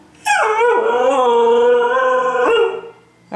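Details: A Siberian Husky female, desperate to get out after a two-day move with no exercise, gives a long, steady, mid-pitched howl, asking to be taken out for a walk.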